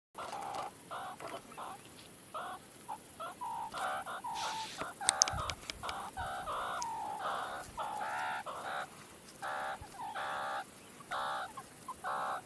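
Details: Meerkats give a steady run of short, nasal, clucking peeps, several voices overlapping, with one meerkat on a rock.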